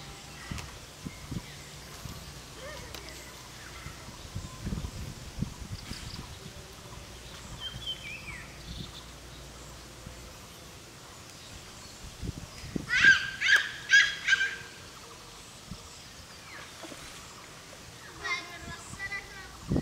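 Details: Langur monkeys fighting other groups over food and habitat: after scattered rustling and thumps, a sudden cluster of loud, harsh, shrieking calls bursts out in quick succession, then a shorter scream near the end, with faint birdsong in the background.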